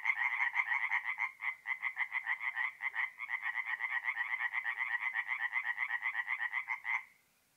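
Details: Tree frogs singing by night at a forest pond in North-East Italy in mid-April: rapid rattling series of croaks from several frogs, loud and rhythmic, then stopping abruptly near the end, leaving near silence.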